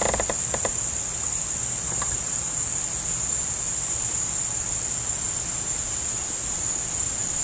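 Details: Crickets chirp in a dense, high, shimmering chorus that holds steady without pause, while a deer is present.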